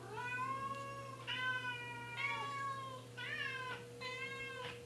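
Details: Domestic cats meow almost continuously indoors, long wavering harmonic calls about once a second, some sliding upward, a few harsher and caterwaul-like, over a constant low hum.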